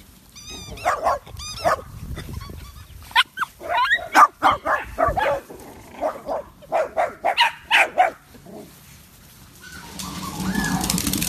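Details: Miniature Dachshunds, puppies and adults at a breeder's home, making a rapid run of uneven yips, barks and whimpers, roughly four per second, ending in a noisy rustling stretch.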